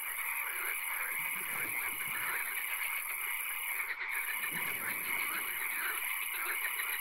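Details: Swamp at night with occasional rain, frogs trilling and croaking in an overlapping chorus; rapid pulsed calls repeat throughout over low rustling, with a brief dip near the fourth second.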